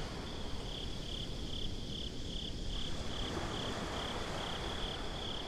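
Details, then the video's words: Crickets at night at the beach, giving a high, steady chirp in even pulses of about two per second, over a constant low rumble throughout. "Crickets at the Beach"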